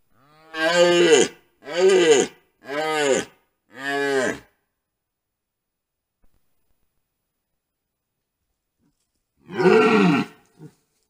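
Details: Red deer (Cervus elaphus) stag caught on a camera trap near a wallow during the rut, the mating season, giving a run of deep, harmonic rutting roars, then one more after a pause.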